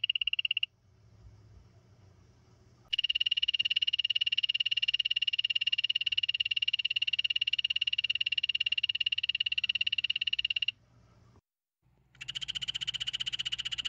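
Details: Rapid buzzing trill from a poison dart frog in several bouts: a short burst, a pause, a long steady pulsed trill lasting about eight seconds, then a brief break before another trill begins.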